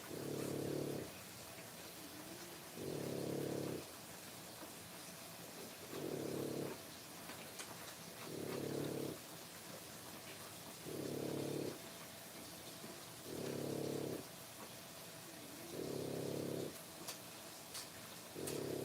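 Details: Low, throaty breathing from French Bulldog puppies three weeks old, born 1/10/25: steady snore-like pulses around a second long, repeating about every two and a half seconds, with an occasional faint tick in the background.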